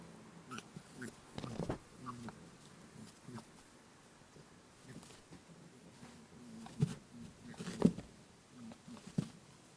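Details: Playful lop rabbit chasing its companion Pooh inside a room, uttering low buzzy 'boo-boo' grunts in short irregular bursts, with scattered thumps and scrabbling paws. Captured on a TASCAM DR-07X recorder.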